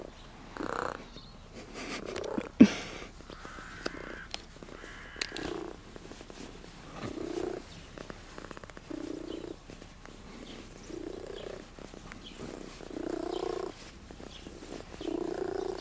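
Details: Friendly cat nicknamed Tutti Frutti, with a patterned coat, visiting travellers in Sardinia and seeking attention, recorded on a Sony FDR-AX33 camcorder; low rumbling purr comes in repeated bursts, with handling noises and clicks.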